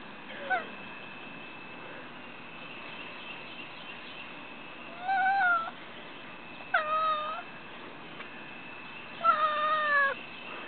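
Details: A pet cat named Lil Pat meows at birds and squirrels seen across the street, wanting to play. Four meows spaced a few seconds apart, some rising then dipping, sound over a low steady hum.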